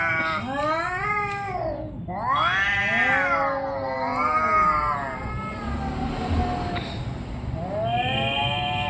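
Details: Orange and white domestic cat in a fight, yowling continuously in long, wavering, rising and falling howls rich in harmonics, with brief dips between drawn-out wails and a short break near the second second.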